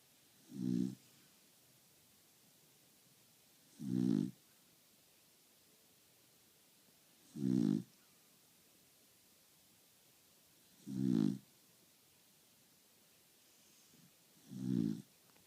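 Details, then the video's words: Sleeping dog snoring very loudly, five rough, low rasping snores spaced about three and a half seconds apart in a steady rhythm, with quiet breathing pauses between and no other sounds. "Patches snoring"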